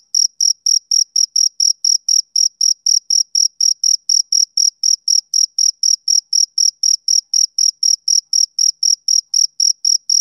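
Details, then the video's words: Summer-evening chirping of a male cricket, a rapid, regular series of bright, shrill pulses at about four per second, each note clipped and identical, over total quiet with no other creatures or noise. "Cricket Chirping Sound Effect"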